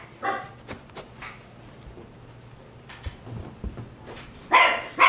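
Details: A mixed-breed dog, vaccinated and microchipped, gives a sharp bark at the start, then near silence with light knocks, and two loud, harsh barks close together at the end.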